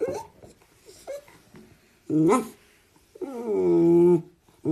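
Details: Cat giving a short rising-falling meow, followed after a pause by a longer drawn-out harmonic meow lasting about a second that slides gently down, with faint background noise between calls.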